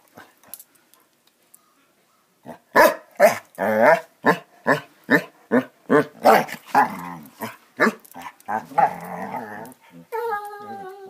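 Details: Basset Hounds at play: after a quiet start, a steady run of loud barks, roughly two a second, trailing into drawn-out harmonic bays and growls at the end.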